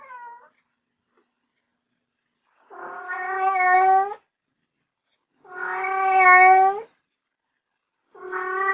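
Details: Drawn-out, insistent kitten meows, each lasting over a second and rising slightly in loudness before stopping, repeated every few seconds in a quiet room.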